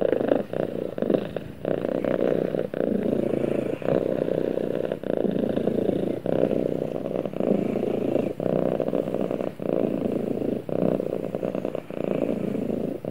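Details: Purring cat cuddled up with its owner; a continuous low rumbling drone with brief regular dips at each breath, about every one to one and a half seconds, and no other clear sounds.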